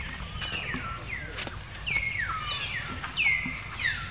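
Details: Baby monkey Jinx, a female, crying after being attacked by another monkey named Spring: a series of high, sliding cries that fall steeply in pitch, each about half a second long, repeated roughly every half second, with faint rustling beneath.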